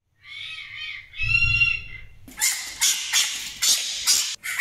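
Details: Loud scream from Djinn, a pet fennec fox: two harsh, high wailing notes, then a run of piercing noisy shrieks repeated about every half second.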